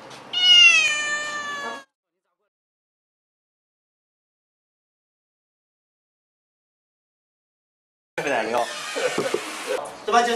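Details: Domestic cat stranded for 24 hours on a ledge on the 12th floor of an apartment building in China, calling without stop since the night before: one loud, falling, harmonic meow, then a long silence, then voices and handling noise.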